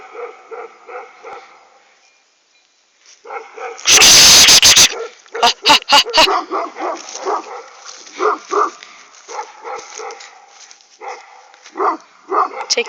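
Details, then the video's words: Provoked dogs, two crossbreeds and an Aksaray Malaklı, bark in quick repeated volleys; a loud harsh rushing burst and sharp clicks break in midway, then the steady barking resumes alongside faint voices. "2kırma 1 aksaray malaklısı kışkırıyor"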